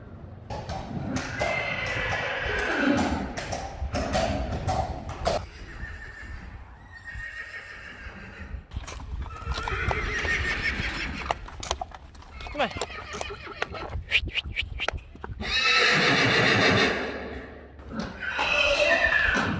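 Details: Friesian horse neighing amid hoof clip-clops and some human speech; one long, very loud, shrill whinny stands out near the end, with shorter whinnying calls earlier.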